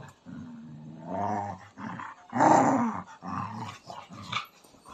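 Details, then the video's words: Pet dog in Nepal, jealous and angry after smelling street dogs its owner touched and fed biscuits, complaining indoors with long low growling grumbles rising into whiny, vocal moans, a louder peak mid-clip, then shorter grumbling bursts. "Dog is jealous of others dog"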